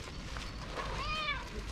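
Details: Hungry black and white female cat meowing loudly at the street: one drawn-out, rising then falling meow with bright harmonics, set against steady low street rumble.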